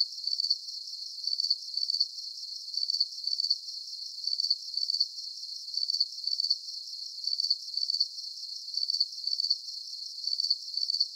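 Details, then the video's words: Soothing cricket sounds for deep sleep: a very regular series of high, pulsed chirps, about two each second, holds steady throughout over a soft high hiss, with occasional faint clicks. "Calming Cricket Sounds"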